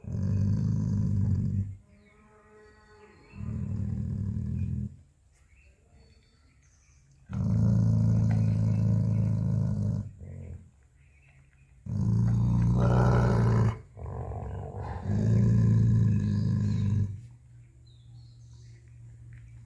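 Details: Guarding his bone while a person reaches for it, Jacky the dog gives five bouts of deep rumbling growls, each one to three seconds long, one rising into a harsher snarl; a man talks in the pauses.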